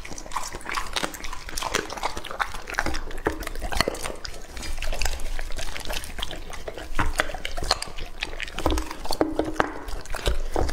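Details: Lucky, a two-and-a-half-year-old male English-type Labrador Retriever, eating raw meat; wet smacking and crunching chews come in dense, irregular bursts throughout, with no other clear sounds.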